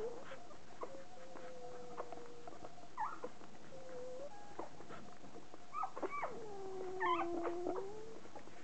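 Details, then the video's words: Newborn poodle puppies, two days old, give drawn-out mewing whines that hold steady or dip, with brief upward squeaks and a longer falling whimper near the end, all irregularly spaced over a quiet background. "Poodle babies at the bar - 2 days old"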